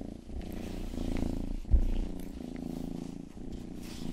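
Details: Youngest house cat Rangi purrs steadily, a deep vibrating rumble rising and falling with each breath, broken by one sharp tap and faint licking sounds in an ASMR ear-grooming recording.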